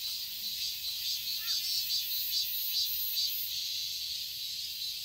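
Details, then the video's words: Summer garden in Seoul, Korea, filled with cicadas: a bright continuous high buzz swelling in regular pulses roughly every half second, with a faint short bird note early on. "Cicadas chirping sounds"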